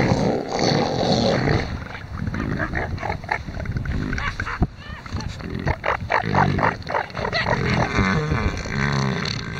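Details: Rival male elephant seals competing over a harem on a busy beach at Sea Lion Island in the Falklands; deep, rasping pulsed bellows repeated in quick succession with short gaps, broad and rough throughout.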